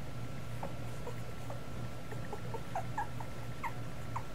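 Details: Two-week-old Miniature Schnauzer puppies give faint, short squeaky whimpers, scattered and repeated across the recording over a steady low electrical hum indoors.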